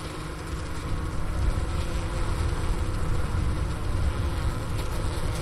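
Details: Wintering honey bees heard through the inner-cover hole of their hive, Ohio State University's Wooster campus, January 16, 2024, around 4 PM at 15°F, next to sugar-brick remains. Deep, rumbling continuous hum, heavy in the low range, swelling slightly midway.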